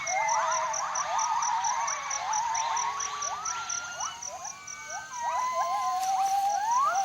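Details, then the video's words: Gibbons singing to warn off other troops: fast series of rising whistled swoops, several overlapping voices, building toward a high upward glide at the end, backed by a continuous pulsing insect-like buzz. "Jarunee the Singing Ape"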